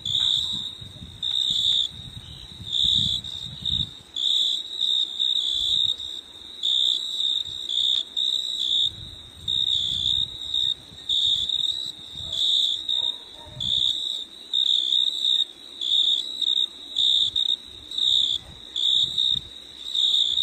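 A high, shrill insect trill runs in steady bursts, pausing briefly every second or two.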